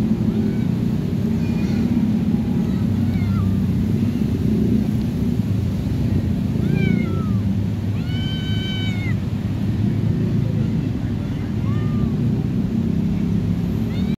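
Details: Stray cats being fed in a neighborhood street; several short rising-falling meows, one louder harmonic-rich meow near the middle, over steady low rumbling background noise like surf or traffic.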